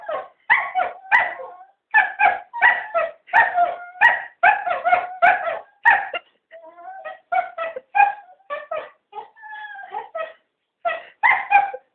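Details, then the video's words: Three cocker spaniels begging for a walk, producing dense clusters of quick yips and barks mixed with short whining notes, in bursts separated by brief pauses. "3 talking dogs"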